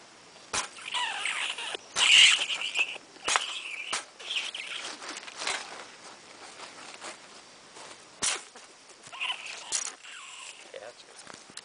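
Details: Norway rat caught and removed from a home in Old Saybrook, Connecticut, giving short, high squeaks and chirps scattered among loud rustling and clattering handling noises.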